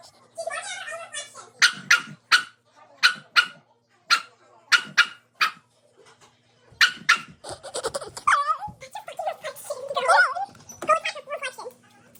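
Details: Dog confronting its reflection with a run of sharp, evenly spaced barks, then a busier stretch of mixed tonal, whiny sounds and more barks toward the end.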